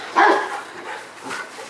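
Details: A single hoarse, mid-pitched bark from the Rottweiler Jero Vom Haus Nagy, worked up over his ball. A faint softer sound trails off afterward.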